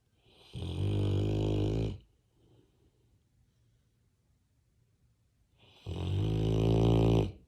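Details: Sleeping Labrador Retriever lying against its owner's shoulder, snoring in two long, low, rattling breaths about five seconds apart, with near silence between them.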